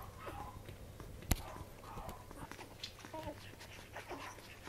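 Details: Newborn Welsh corgi puppies nursing on their mother's milk, giving faint, brief squeaky whimpers scattered through the moment, amid soft rustling and suckling noises and one sharp click.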